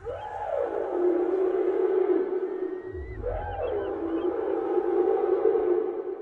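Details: Whale calling underwater: long, steady tonal moans rich in overtones, each opening with a swooping rise and fall before settling into a held drone, the pattern returning after about three seconds over a faint low rumble.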